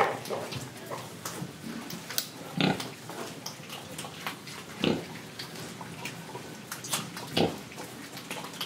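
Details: Pig from Indonesia eating and breathing: three clear rough oinks at intervals of roughly two and a half seconds, separated by faint crunching and sniffing.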